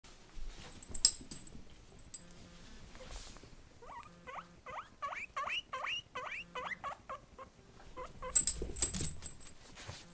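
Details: Pet guinea pig making funny sounds: a quick run of about ten short, rising, chirpy squeaks in the middle, framed by rustling and bumping handling noises at the start and end.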